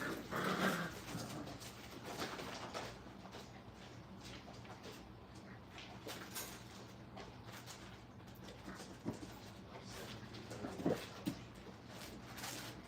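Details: A Brittany puppy in crate training gives a sharp high whine near the start. Only faint scattered squeaks and rustling follow, with a man's voice and room hum in the background.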